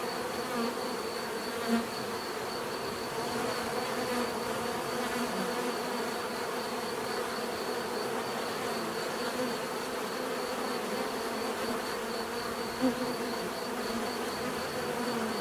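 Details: Long stretch of constant bee buzzing, a low layered hum with a thin high whine on top, punctuated twice by short close fly-by buzzes.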